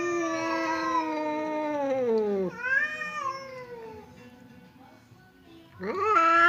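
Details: Ill-tempered cat Temon and quiet cat Lelo, kept apart by a partition, trade threats as if ready to fight; a long sinking moan slides down, a higher wavering cry follows and fades, then a sharp rising yowl returns.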